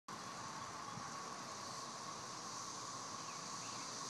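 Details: Brood XIX periodical cicadas swarming a maypole, singing and mating on a warm sunny Tennessee afternoon; a dense, unbroken droning chorus with a bright high hiss over a steadier lower hum, no pauses across the clip.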